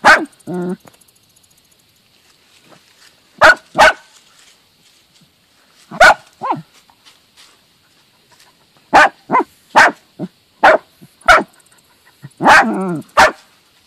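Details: A team of dachshunds hunting and killing a mole: loud, sharp barks come in irregular bursts, single and in quick pairs or triplets, with short harmonic whines and yelps between them and quiet pauses of a second or two.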